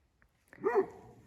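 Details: Kangal shepherd dog at night, caught by a trail camera in forest near a dead goat's remains, barks while scratching the ground to leave its scent, tail held upright. It gives a single deep, full-throated bark, confident rather than fearful.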